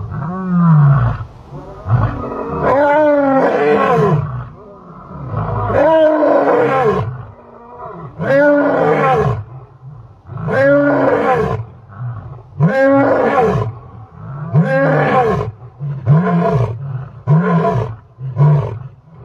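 A lion gives a series of deep, rough roars repeated every two to three seconds.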